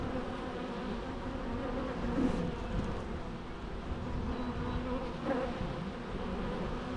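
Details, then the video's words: Steady humming of many bees, an even low drone with faint harmonic lines and occasional single bees passing slightly louder. "natural bee sounds"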